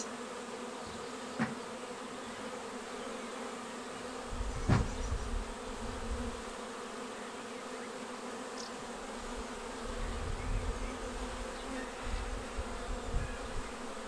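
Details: Swarm of honeybees filing into a swarm trap on 19 May, a beginner's second capture. A steady buzzing drone with a few individual bees zipping past near the microphone, and occasional low wind thumps.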